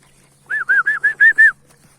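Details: Anatolian Shepherd puppies, young dogs being raised as candidates for large guard dogs, give a quick run of six short, bright, arched yelps over about one second, evenly spaced, with a faint low hum beneath.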